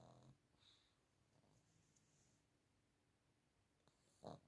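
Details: A 15-year-old female dog asleep and comfy in her bed, snoring: a short breathy snore at the start and another near the end, with soft quiet breathing between in a still room.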